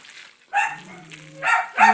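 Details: Three miniature dachshunds, said to bark at the wind, let out sharp, yappy barks in quick bursts in a home kitchen, with a voice murmuring between them.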